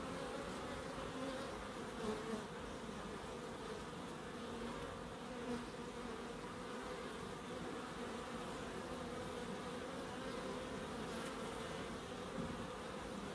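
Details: Bees buzzing in a small wildlife garden with bird boxes and a pond in Crookes: continuous layered droning hum, slight swells in loudness, no other clear sounds.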